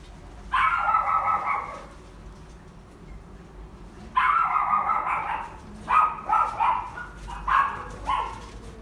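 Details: Young female shaded-yellow Kaninchen Dachshund, born 22 June 2019, in a pet shop: two long, drawn-out whining yelps, then a quick series of five shorter, tonal yips close together.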